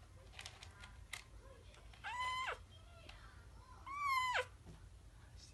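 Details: Himawari, a kitten, meowing while pooping in the litter box indoors: two loud, drawn-out meows nearly two seconds apart, each holding steady then sliding down at the end, with faint rustling between and a quiet voice just after.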